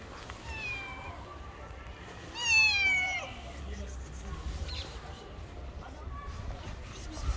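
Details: Pregnant stray cat living on the street, turning down offered food, lets out one loud, drawn-out, wavering meow, then quieter background rumble and faint street noise.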